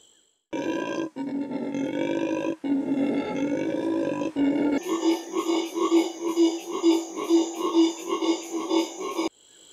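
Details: A black howler monkey (Alouatta caraya) of southern Brazil, Paraguay and Argentina gives harsh, raspy growling roars in rapid pulsing bursts, a short, sharp, chainsaw-like growl.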